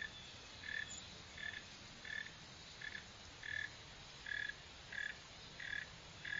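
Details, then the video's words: Northern mole cricket (Neocurtilla hexadactyla) calling: about nine short, even, buzzy chirps at a steady mid pitch, roughly one every 0.7 seconds, over a faint hiss. "Mole cricket | Digging, Running | Sound | Northern"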